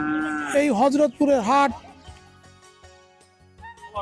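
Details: Cattle at Hazratpur cattle market on a river bank, Bangladesh, with two loud, wavering moos dipping in pitch within the first two seconds, then quieter background noise and music.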